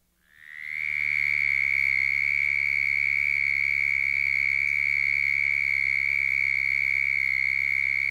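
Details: A Southern Toad gives its breeding-season call, a long, steady, high-pitched trill on one even pitch, made by air forced back and forth over the vocal cords about 75 times per second.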